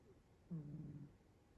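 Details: Sleeping domestic cat resting its face on its paw, giving a single soft, low snore lasting about half a second in a quiet indoor room.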